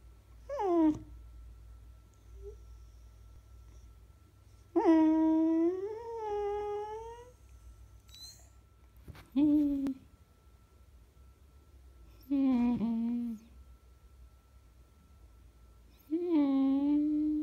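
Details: Beagle recorded on February 19, 2016, indoors, giving five drawn-out tonal whining howls. Each is one to two and a half seconds long and rises slightly or wavers in pitch, separated by pauses of a few seconds in a quiet room.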